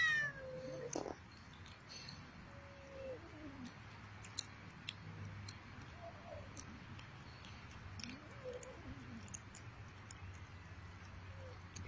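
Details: Feral Persian cats, including black-and-white Himalayans, being fed in Arabia, give several faint, short meows that bend up and down, scattered through the recording over a steady low background music hum.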